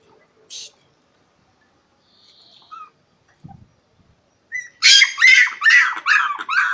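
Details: Pinscher puppy seeking play with an unwilling Cane Corso: after near silence with faint thumps, a burst of loud, high-pitched yapping barks repeats rapidly to the end.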